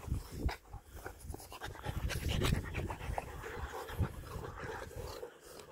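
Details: German Boxer puppies panting in quick, breathy, uneven bursts, about three per second, over low rumbling handling and movement noise.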